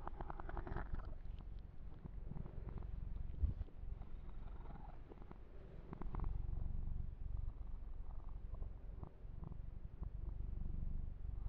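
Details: Steady deep purring of Yumak, a male kitten, during massage and fur grooming, continuous low rumble with light scratching and stroking sounds through the fur.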